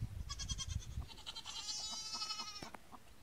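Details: Nigerian Dwarf goat kids on their first day, one drawn-out, quavering, high bleat held for about a second, after a few soft thumps and shorter faint bleats.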